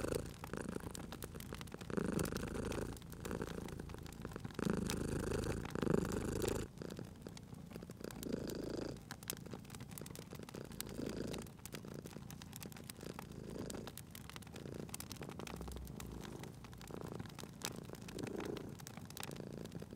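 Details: Cat at a cozy fireplace purring strongly in rhythmic rumbling pulses for the first several seconds, then the purr grows softer and fainter while crackling and popping firewood continues steadily.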